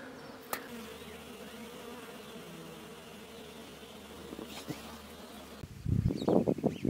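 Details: Wild honey bees from a hive being removed from a mountain bush in village Iran, agitated and attacking; a low continuous hum runs for about five seconds before loud, sudden rustling and handling noise swamps the end.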